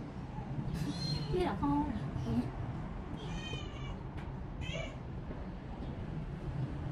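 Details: Pet cat that is still eating little, taken to a shelter to relax, giving several short meows, some rising then falling, spread over a few seconds against a constant low background hum.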